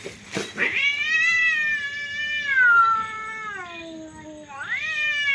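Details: During a cat fight a brief scuffling burst opens, followed by a long loud yowl that slowly falls in pitch, then a sharp rising wail at the end.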